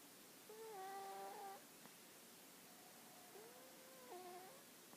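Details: Dog snoring in sleep: two whistling breaths roughly three seconds apart, each a steady nasal tone that jumps between pitches, with a faint click between them and low background hiss.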